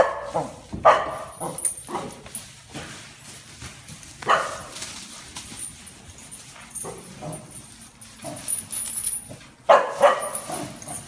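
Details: Dixie, a Welsh Corgi registered as Haapatassun Country Beauty, barks while herding cows and showing them who is boss. Sharp barks come in irregular bursts over eleven seconds, with outdoor rustling and handling noise in between.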